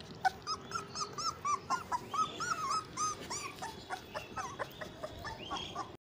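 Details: American Staffordshire Terrier puppies from a litter of eight males and one female in Amritsar, Punjab, India. Rapid, high, slightly rising whimpers and yips repeat several times a second, indoors with faint background rustling.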